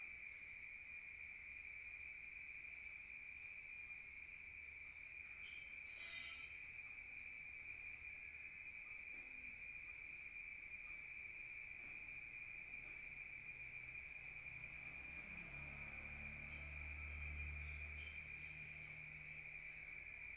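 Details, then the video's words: Nighttime crickets in the countryside, recorded outdoors: an unbroken high-pitched trill dominates, with a short sharp click near six seconds and a low rumble toward the end. "Rural Nature Sound of crickets at night heard from outside"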